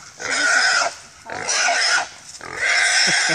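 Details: Pig caught during a hunt along the Sulphur River, squealing loudly; three long harsh screaming squeals, each about a second long, separated by short gaps, with a faint low grunt near the end.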